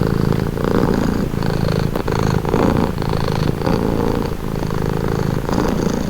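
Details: Close, loud purr of a house cat, a low buzzing rumble pulsing with each breath around once per second, even and unbroken.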